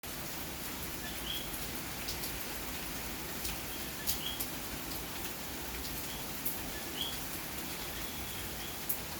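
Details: Puerto Rican coquí calling on a rainy May night in Santurce, San Juan, Puerto Rico: scattered short rising chirps, about four across the stretch, set over a steady hiss of rainfall with occasional sharp drip ticks.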